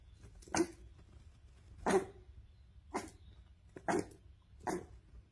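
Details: A cheeky Boston Terrier puppy barks at its owner, giving five short, sharp, bright, slightly raspy yappy barks at uneven gaps in an otherwise quiet room with a low hum; finding: Boston Terrier.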